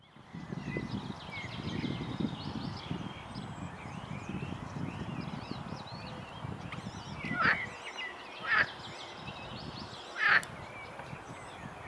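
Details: Edible frogs croaking lustily on a stream feeding the Svratka river beside a cycle path, Brno-south, Czech Republic; rumbling background noise fills the first half, then three short harsh croaks follow at uneven intervals.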